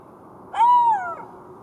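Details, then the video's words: A golden jackal's single wavering wail, gently rising then falling over about half a second before fading, with soft constant background noise. "Golden Jackal sound call / תן מילל"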